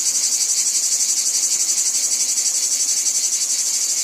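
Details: Cicadas calling in a wheat field: a dense, continuous high buzzing with a fast, even pulsing throughout, no other sounds standing out.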